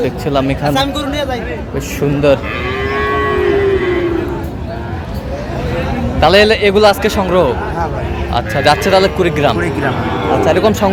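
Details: At a Kurigram cattle market in Bangladesh, 22 April 2025, a Sahiwal bull calf gives a sustained, bending moo near the middle, with bursts of human voices and crowd noise before and after.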